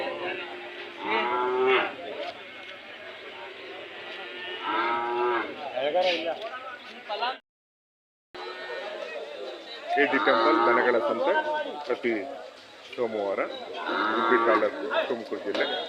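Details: Hallikar cattle at the Monday cattle fair market at KG temple, India, lowing in drawn-out, wavering moos amid a busy market with people talking nearby; a short silent gap midway.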